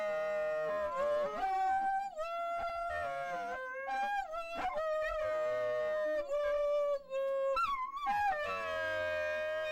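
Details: Milly, a pet Dachshund, performing her singing: long sustained howls that slide up and down in pitch, wavering tones held for a second or more with brief breaks, possibly over background music.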